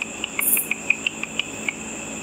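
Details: Ultrasonic calls of bats busy eating insects while flying over a pool at night, converted by a frequency divider bat detector into sharp ticking pulses, about five per second, above a constant high-pitched hum and background hiss.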